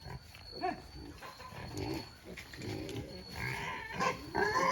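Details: Native black pigs on a free-range farm in Albay, Philippines: a run of rough, low grunts and snorts in short bursts, rising into higher, squealing cries toward the end, with a steady high-pitched hum in the background.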